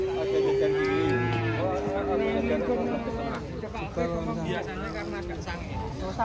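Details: Cattle at a ploughing event give a long, level moo that slides gently downward and then falls, followed by shorter lowing calls. Music and voices play throughout.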